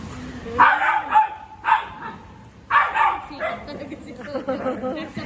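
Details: Pet Golden Retrievers, two in the household, one lying down, with a loud bark repeated three times at roughly one-second spacing, then softer yips under human chatter.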